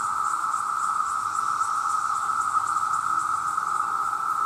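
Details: Vast numbers of male cicadas calling to attract mates, loud enough to harm hearing: a continuous, steady, high-pitched droning whine with no breaks, slightly pulsing in its upper overtones.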